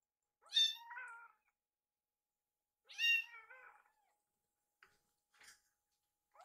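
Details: Foster kittens Yuki and Piyo beg indoors as their wet food is prepared in the kitchen: two loud, bright meows about two seconds apart, each sliding down into a lower tail, followed by softer faint squeaks.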